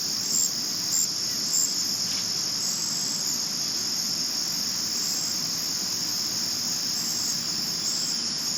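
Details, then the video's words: Crickets at night, 2022 recording. A constant, intense, high-pitched trill runs nonstop, with a few brief brighter pulses near the start over a soft background hiss. "Cricket Chirp Sounds At Night"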